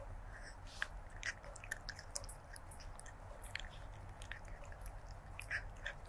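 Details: A stray kitten eating, recorded close with a stereo lavalier microphone on 23 January 2024; soft, irregular crunches and sharp little clicks of chewing dry food come every fraction of a second over a steady low hum.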